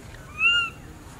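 A baby monkey gives a single clear, high, slightly arched crying note, calling for its mother.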